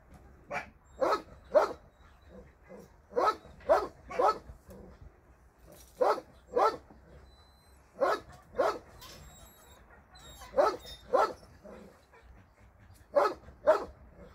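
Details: Shelter dogs for abandoned animals, seen on a Sunday volunteer visit, give steady rounds of sharp barks, mostly in pairs and triplets, repeating roughly twice a second across the stretch with short pauses between bursts.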